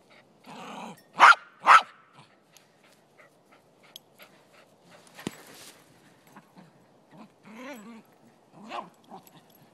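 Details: Male Silky Terrier playing soccer on a lazy Sunday in Truckee, California, blocking the ball on defense; two loud, sharp barks in quick succession near the start, followed by softer scuffles and brief higher yelping notes toward the end.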